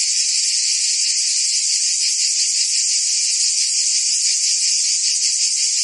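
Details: Cicadas singing in summer in Provence, France: a dense, unbroken high buzzing chorus with a faint rapid pulsing, steady in loudness throughout, no other sounds.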